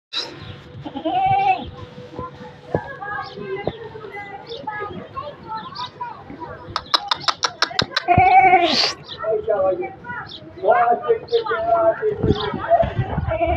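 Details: Beetal goat bleating in loud, wavering, nasal cries, several drawn-out calls spread through the recording, mixed with people talking nearby in Hindi and some sharp clicking sounds.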